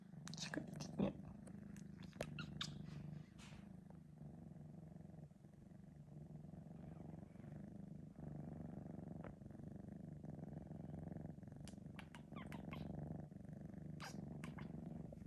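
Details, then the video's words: Male Sphynx cat Senna, three months old, purring after a nap, filmed with an iPhone 12 Pro Max; a continuous soft low purr throughout, with scattered clicks at the start and near the end. "3 months old Sphynx Cat purring and yawning after a nap"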